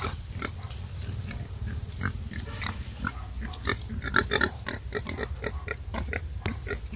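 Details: A wild boar mother labouring through birth gives rapid, harsh, clipped grunts and snuffling bursts, packed closely and uneven in loudness, louder toward the middle of the stretch.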